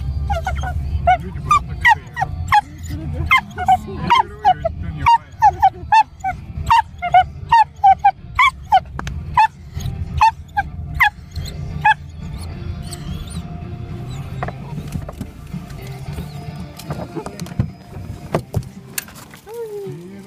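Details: Female Dachshund, excited at seeing a familiar place, barking in rapid sharp high yaps, roughly one or two per second for about twelve seconds, then quieter with a steady low engine-like rumble underneath.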